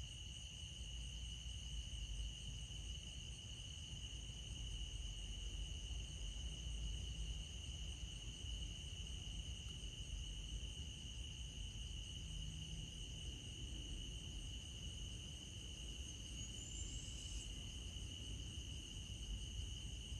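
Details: Crickets in the countryside, a continuous high-pitched trilling chorus holding one steady even tone with fainter higher overtones for the whole stretch, over a soft low rumbling background.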